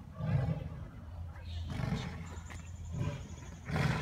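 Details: Two male Amur tigers fighting at Assiniboine zoo, recorded in April 2017; deep low rumbling growls in short bursts, a louder roar near the end, with a steady background hum.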